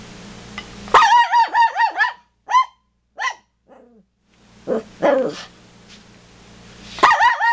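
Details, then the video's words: Toy poodles barking at deer, giving a quick run of shrill, evenly spaced yaps, then scattered single yips and a soft whine, ending with a fresh volley of sharp barks. "Toy Poodles Hate Deer"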